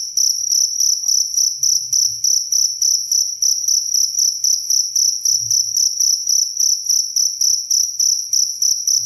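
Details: Very clear cricket recording meant for teaching songbirds and lulling listeners to sleep: piercing high trills pulsing steadily, around three and a half beats a second, with a couple of dull low thuds underneath.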